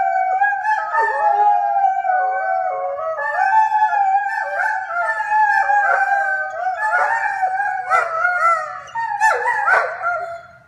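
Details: A singing Dobermann howls in a continuous wavering tone, swooping up and down in pitch, with short yelping breaks and a roughening voice in the final seconds before fading.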